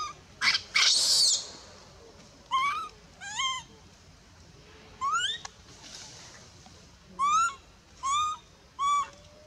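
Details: Near Bayon, a baby monkey rejected from nursing by its mother cries in a series of short, rising, whistled whimpers, repeated in clusters of two or three with pauses, after an opening loud harsh burst.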